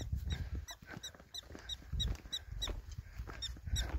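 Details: Black-tailed prairie dogs in a loud, busy colony in Theodore Roosevelt National Park, seen while hiking, with many running everywhere and calling to avoid becoming prey: a steady series of high, sharp chirping yelps over wind rumble and footsteps.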